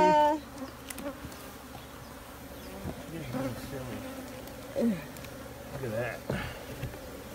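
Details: Honey bees buzzing in a steady low hum with layered overtones, brief louder swells as single bees pass close, a short whistle-like tone at the start, faint distant voices.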